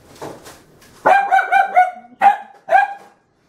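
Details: An upset corgi puppy barks at toilet paper on the floor, after barking at it for about five minutes: a quick series of sharp, harmonic-rich barks, the last two spaced apart.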